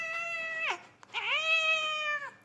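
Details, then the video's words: Pet cat meowing twice in quick succession: a steady, bright, strongly harmonic meow that drops sharply at its end, then a brief pause and a second long meow that rises, holds level and falls away. "so cute meow voice"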